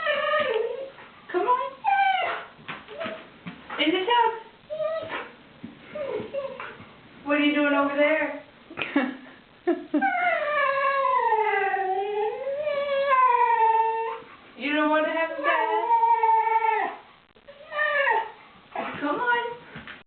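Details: Siberian husky protesting the threat of a bath indoors, a long run of howling, warbling, talking-like yowls that rise and fall in pitch, broken by short yelps and brief pauses.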